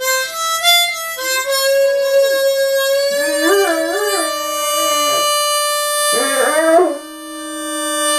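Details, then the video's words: Great Dane puppy Rupert, five and a half months old, sings along with a harmonica on first hearing it. Over a sustained harmonica tone, two bursts of quavering, warbling howls rise and fall before fading back under the instrument. "Great Dane Puppy Rupert - Accompanies Harmonica"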